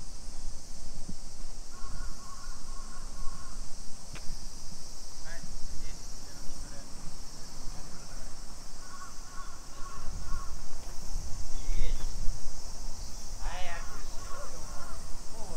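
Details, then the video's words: Cicadas keep up a constant shrill summer chorus along streets of Nisshin city, Aichi Prefecture, Japan, 2 PM on 28 July 2021, overlaid by two bursts of crow cawing, scattered clicks and a short bird call. "Summer Cicadas Sounds"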